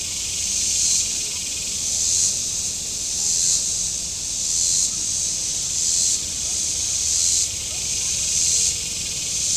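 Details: Cicadas singing from the shore of Table Rock Lake in southern Missouri on a very warm Saturday: a dense, high, hissing buzz that swells and fades in regular pulses roughly every second and a quarter.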